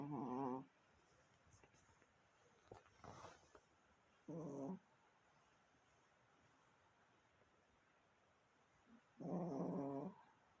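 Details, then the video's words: A Chihuahua making strange noises indoors: three short harmonic bursts, a nasal whine-like sound at the start, another midway and a longer one near the end, separated by quiet stretches with faint background hiss. "이상한 소리내는 치와와"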